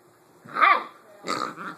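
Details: Hagrid, a 7-week-old Blue Great Dane puppy, plays indoors with his new toy pig: a short tonal growl rising and falling, then a rougher, noisier growl-bark, each under a second long.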